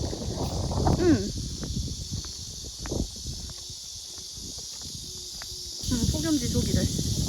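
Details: In summer at a walled stone-fortress village near Suncheon, South Korea, on a breezy day, cicadas hold a constant, shrill, high hissing drone, with speech, footsteps and rustling coming and going below.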